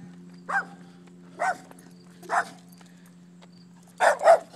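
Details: German Shepherd barking on a walk: four sharp, separate barks about a second apart, the last two doubled close together, over a steady low hum.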